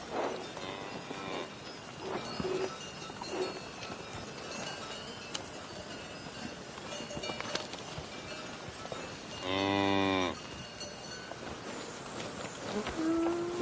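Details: A faint moo is heard early, then a single clear, full-throated moo near the end, with soft earlier lowing, scattered clanks and a ringing bell-like tone in the background.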